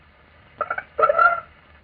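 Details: A 1945 recording of an Anopheles mosquito's so-called chicken call, following a test of two single males responding to a recorded female call: two buzzy, clucking bursts, the second longer and stronger.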